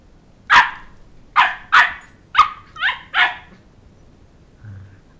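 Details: Young Sheltie, aged two months, in playful pursuit of a small child around a coffee table to win back a plush dog head; six bright, clipped barks in about three seconds, then a soft low sound.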